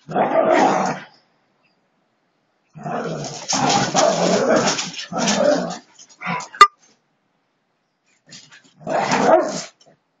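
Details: Siberian Huskies in a friendly play fight, giving rough, noisy growls and snarls in bursts of one to three seconds separated by silent gaps, with a sharp click partway through.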